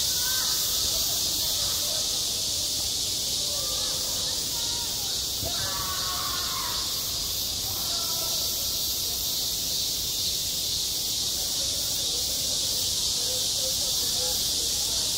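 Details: A summer school playground full of cicada song: an unbroken, shrill, buzzing wall of sound with a gentle throb. Faint curving voice-like sounds lie beneath, and a brief louder rustling knock comes near the middle.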